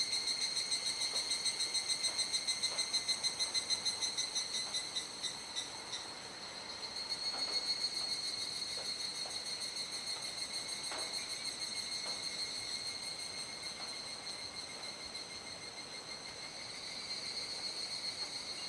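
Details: Cicada chorus at dusk in Kuji, Iwate, Japan, 17 July 2017, during the rainy season, the insects gradually falling quiet as the sky darkens: steady high shrill bands with fast pulsing, louder at first then easing, faint clicks.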